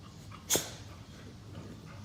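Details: Two Boxer dogs at lazy play on a couch after chasing each other; one short, breathy sneeze-like snort bursts out, then soft rustling and a low indoor rumble.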